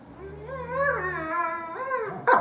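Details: Alaskan Malamute named Artie, indoors with a German Shepherd named Riley, "discussing" the day: a drawn-out, wavering vocal howl-moan with rising and falling tones, ending in a short sharp yip.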